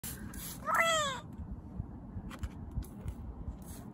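A Budgett's frog gives a single cat-like, meowing cry that slides down in pitch.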